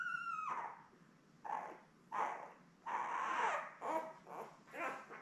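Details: Newborn Labrador Retriever puppies, a litter of seven born May 24, 2021, lying with their mother Belle indoors; a high wavering whine slides downward, followed by a string of repeated whimpering cries about every second.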